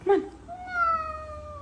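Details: Kitten giving a long, drawn-out meow that starts clear and slides slowly downward in pitch, with a brief soft squeak just before it, in a quiet indoor room.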